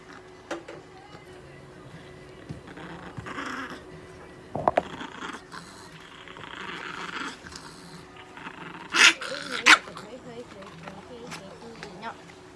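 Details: Chihuahua named Nana, weighing 3600 g, during a veterinary examination at an animal clinic in Nagoya; low wavering growls rise into two sharp barks near the end, with handling noise and quiet background sounds.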